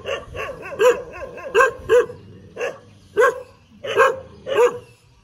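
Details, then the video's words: Barking dog wagging its tail, giving roughly seven loud, clipped barks at irregular intervals of about half a second to a second, with softer yaps at the start. "เสียงหมาเห่า หมาเห่ากระดิกหาง"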